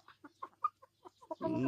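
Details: Gamecock recorded 22 January 2022, giving a quick run of short, clipped clucks. A louder, harsher burst follows at the end.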